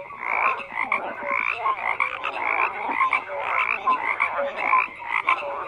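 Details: Croaking frogs form a busy chorus, rough rasping calls repeating roughly twice a second alongside brief bright tonal notes, with no other sounds.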